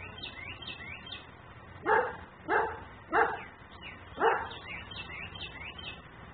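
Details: Outdoor dog barking while left outside in Mecklenburg, recorded by a fixed camera; four loud, evenly spaced barks roughly half a second to a second apart, with bright chirping birds throughout.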